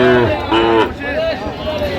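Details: Sahiwal bulls at a cattle market, Comilla, Bangladesh, 9 January 2026: short low harmonic moos with slightly rising then falling pitch, overlapping with men's bargaining voices and general market bustle.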